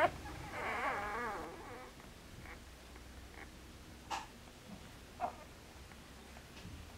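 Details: Newborn Border Collie puppies, four days old, litter born 29 August 2014 and filmed 2 September 2014; one loud warbling, wavering whine opens the clip, followed by faint rustling and a few soft squeaks.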